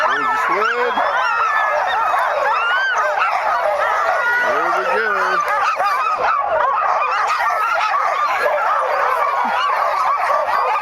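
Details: Sled dogs in 2010 waiting impatiently for the run to begin, their massed yelps and barks forming a steady, frantic wall of sound, interrupted by short stretches of a man talking near the start and middle.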